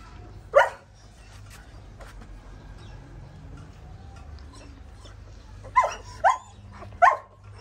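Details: Female pointer dog giving birth to nine puppies at home: one sharp yelp early on, then three short, abrupt yelps in quick succession near the end, over a quiet indoor background.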